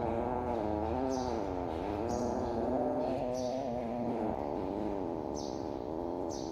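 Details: Domestic cats competing to eat mice, with drawn-out, wavering, harmonic meows running almost without a break through the whole stretch over a steady background hiss.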